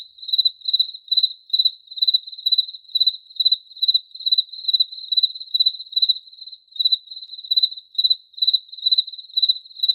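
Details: Repeated cricket chirps, high and pulsed, sound about twice a second, with a brief, softer stretch near the middle before the steady rhythm resumes.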